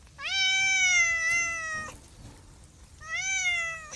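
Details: Two clear meows from a house cat: a long, steady one of nearly two seconds, then a shorter one after a brief pause, both ending with a slight downward slide.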